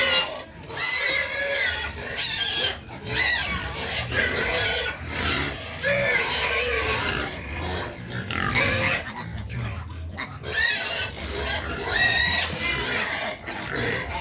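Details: Noisy pigs wanting their feed, squealing almost without pause: a dense run of shrill, wavering squeals and rough grunts from several animals, with brief dips between bursts and a person's voice faintly mixed in.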